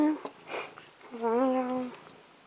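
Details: Rascal, a pet domestic cat wanting to be let into the house, gives one drawn-out meow lasting under a second, wavering at the start, then steady and level, after a brief soft sound; quiet room-like background.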